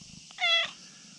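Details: A very friendly brown tabby-and-white cat perched where it could tumble down a slope, calling for petting: one clear, strong, slightly falling meow lasting a quarter second, then quiet with a soft high hiss.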